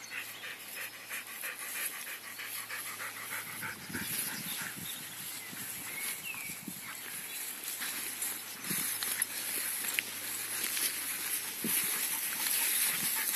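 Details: Alaskan Malamute sled dogs running free outdoors in summer, quick rhythmic panting breaths repeating steadily, with one short rising whine midway, over rustling ground noise and a faint steady hiss.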